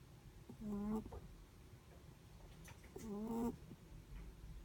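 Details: Two brief humming snores from a Netherland Dwarf rabbit while it sleeps, tonal and slightly rising, separated by a quiet pause of about two seconds.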